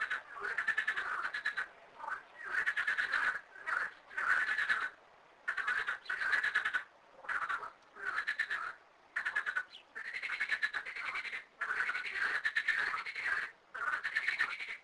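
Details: A chorus of 13 frogs in two small garden ponds gives rapid, rattling croaks in bursts about a second long.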